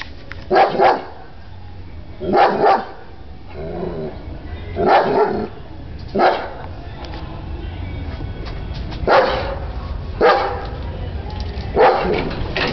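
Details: German Shepherd barking at someone at the door: about seven short, broadband barks in loose pairs and singles spread over thirteen seconds, with low background hum between them.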